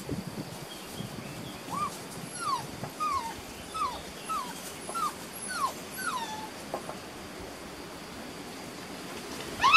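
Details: Beauceron puppies at six and a half weeks, working lines, in a new pen on 27 May 2019; a run of short, high, falling whimpers repeated roughly every half second, followed by quiet and a brief louder sound at the end.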